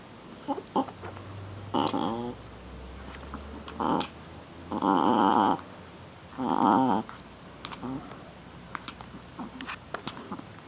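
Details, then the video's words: Shih Tzu puppy, a young female playing rough, gives short harmonic growling grunts and whines in bursts about every one to two seconds, with small clicks and rustling indoors. "Baby Shi-Tzu Playing and Making Cute Sounds"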